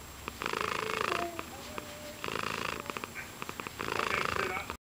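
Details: A happy pet cat purring near the microphone, three strong rumbling swells with faint clicks between them, ending abruptly.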